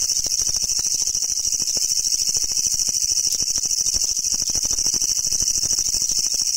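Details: Japanese leaf katydid (kutsuwamushi), an insect found only in Japan, located during an insect-collecting search for brown and green forms: a loud, harsh, continuous rattling buzz made of rapid dense pulses, very bright and hissy, with no other clear sounds.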